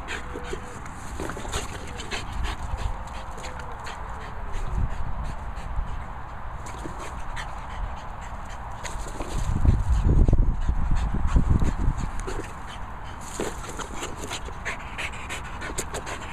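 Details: French Bulldog indoors, making low snuffling grunts and whimpering whines at a fast, irregular pace, with a louder rough burst in the middle and a person speaking nearby.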